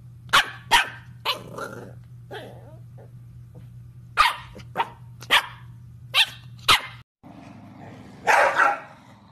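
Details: Corgi barking in a string of sharp, short barks, about ten spread over nine seconds, some in quick pairs, ending in a louder, rougher burst; a steady low electrical hum runs underneath.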